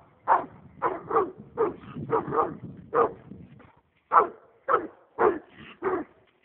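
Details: American leopard hound, excited by a raccoon while on a roll cage, lets out clustered barks over a low rumble, then after a short gap a handful of loud, evenly spaced single barks.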